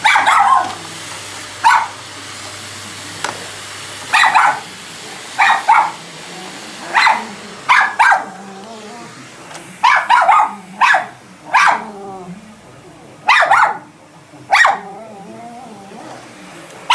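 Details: A female Miniature Schnauzer barks at a vacuum cleaner being used, sharply and insistently, in quick irregular bursts of one to three yaps.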